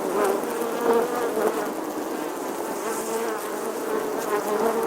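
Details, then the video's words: Bee buzzing in summer: a steady droning hum with a fundamental band that wavers slightly in pitch, layered harmonics above, and brief swells in loudness as the insect moves. "Bee Buzzing Sounds"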